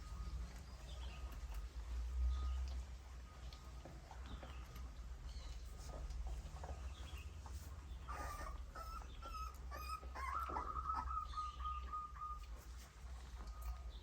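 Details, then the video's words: Puppies suckling their mother's milk: a steady murmur of soft smacking and shuffling, then high, wavering whimpers rising and falling over several seconds near the end, with a faint constant hum underneath. "Puppy suckling mother’s milk Puppies sound"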